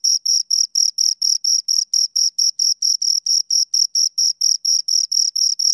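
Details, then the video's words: Two crickets chirping steadily, a high-pitched pulsed trill of short bursts about four per second, each with a strong tone and a fainter higher overtone, in clean silence with no other sounds. "Two Crickets Chirp Sounds"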